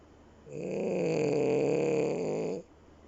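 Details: A French Bulldog snoring with its eyes open gives one long, rasping snore lasting about two seconds.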